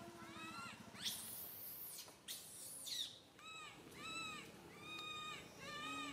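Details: Young monkey Santo crying so loudly on a tree branch that mother Sara cannot look after him; harsh shrieks give way to a run of high, bowed whimpers repeated roughly every half second.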